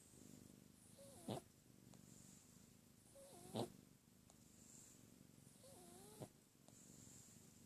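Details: Female pet cat snoring loudly in her sleep, a low droning rasp rising and fading with each breath, while sharp clicks and short chirping whistles cut in about every two to three seconds.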